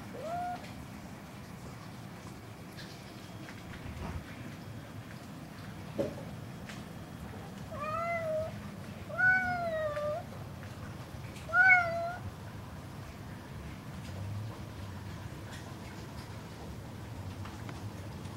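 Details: A domestic cat called a singer, meowing indoors: three tonal, wavering meows at about two-second intervals, each rising and then falling with rich overtones, after quieter, scattered sounds and a low background rumble.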